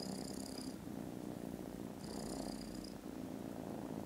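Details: A continuous low, rough purr from foster kittens dozing contentedly after lunch on 18 December. Two brief high, thin tones sit above the rumble.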